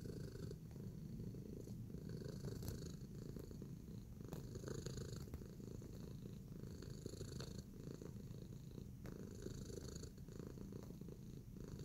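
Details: Kneading contentedly, pet cat Tacy produces a low, rolling purr without pause, accompanied by quiet clicks and scrapes at irregular moments.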